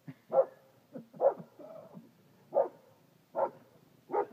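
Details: A 2-year-old English Springer Spaniel gives short, punchy, mid-pitched barks in uneven bursts, with a brief whine between some, while guarding its yard from a neighbourhood dog; a person speaks softly nearby.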